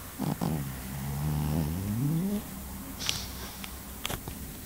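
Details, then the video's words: Pekingese dog snoring while asleep: low rumbling breaths with a rising, harmonic-rich wheeze near the start, then softer steady breathing, with a few brief clicks and rustles later. "snoring dog - pekingese"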